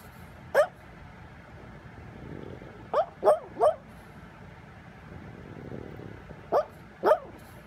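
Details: A brindle pug barks in its sleep while dreaming: short muffled woofs, one near the start, a quick run of three around the middle, then two more toward the end, over a quiet background hum.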